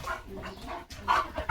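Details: Leo, a German Shepherd in a flower-filled home courtyard, gives a single sharp, loud bark at the very end after a stretch of soft, low murmuring; a woman talks to him in Marathi around the bark.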